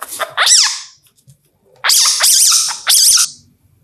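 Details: An Indian palm civet in India, calling at night, gives harsh, squealing calls that rise and fall in short bursts.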